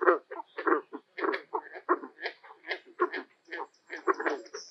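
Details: In late spring at a beaver pond, male green frogs give their mating calls: short, twangy, plucked notes in a quick, uneven run of about a dozen bursts.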